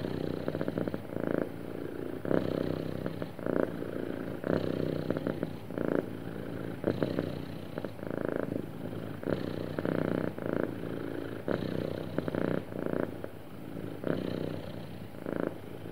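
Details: Happy domestic cat purring smoothly and steadily, a low rumbling purr pulsing in rhythmic waves with brighter surges roughly every second as it breathes in and out, quiet indoor setting.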